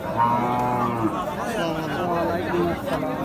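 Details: Dry cows being bought and loaded, giving a long, steady, low harmonic moo followed by wavering, shifting tones, with people's voices talking over the scene.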